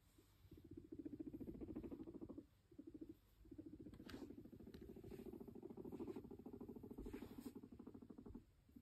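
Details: Domestic guinea pig approaching its owner and purring: long stretches of fast, low, buzzing pulses, broken by two short pauses, with a few light taps and knocks in the background.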